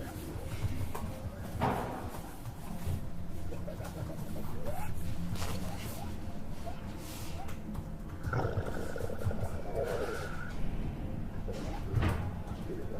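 An aardvark's stomach growls in deep, rolling rumbles broken by gurgling bursts.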